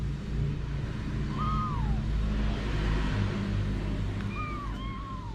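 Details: Mother cat Anna with her kittens at home: high, descending meows sound once early and twice near the end, separated by a long quiet gap, under a constant deep rumble.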